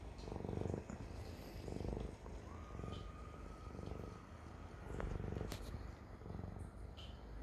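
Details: A Siamese cat's continuous low purr, pulsing in rhythmic waves roughly once per second, with a brief faint tonal whine in the background near the middle.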